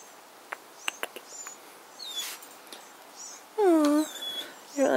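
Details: Jug puppy called Jock whining in a yard at a cat it dislikes. A loud falling whine with stacked harmonics runs about half a second, then a short rising whimper, over faint chirping birds and soft clicks.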